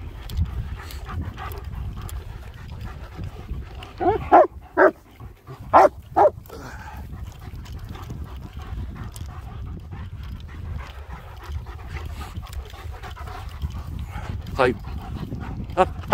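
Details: German Shepherds, two males, stretching their legs in the hills around Hawick, phone recording: a cluster of four or five loud sharp barks spaced about half a second apart midway, with steady wind noise and scattered faint sounds around them.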